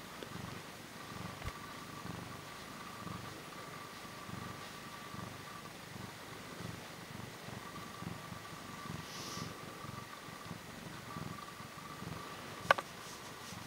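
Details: Up close with a short-tailed Portuguese cat purring steadily, a soft low rumble pulsing throughout, with a brief click near the end.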